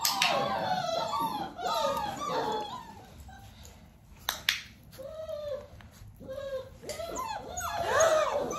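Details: Nearly six-week-old Dalmatian puppies being clicker trained while their mother Arya spends time with them; bursts of falling, harmonic whines and short yelps, louder at first, then sparser calls separated by quiet gaps.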